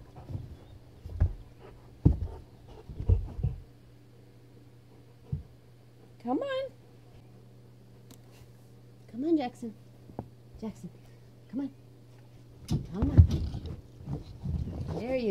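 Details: Frustrated Weimaraner Jackson, stuck under a bed for 30 minutes, gives two brief rising whines, the second lower, between stretches of a person's coaxing talk, quiet thumps and a low room hum.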